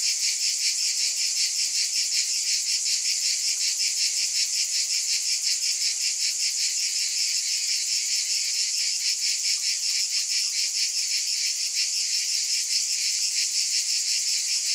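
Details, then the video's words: A continuous cicada drone, bright and hissing, made of rapid fine pulses inside a steady wall of sound that keeps an even volume across the whole stretch. "Scintillating Cicadas"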